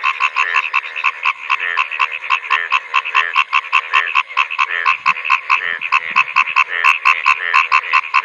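Male frogs call in a dense chorus of rapid, nasal, rattling pulses that overlap without pause.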